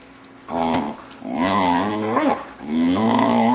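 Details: Six-month-old male Vizsla at home, vocalizing oddly as his owners play with him. Drawn-out, wavering groan-howl, sliding up and down in pitch, nearly continuous for three seconds.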